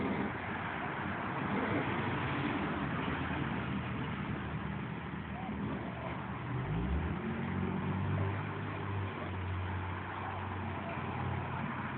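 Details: Steady engine and traffic rumble, with a low droning tone sliding upward near the middle and indistinct speech underneath; no animal voice is heard.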